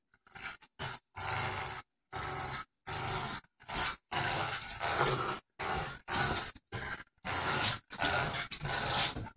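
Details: Ginger, a 4-month-old boxer and pit bull mix puppy, growling during a game of tug of war: rough, noisy growl bursts roughly half a second to a second long, broken by abrupt short silences.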